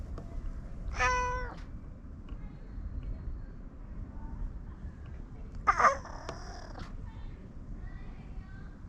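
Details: A domestic cat gives two meows, the first short and clear, the second longer and wavering, with quiet gaps and faint background noise between them.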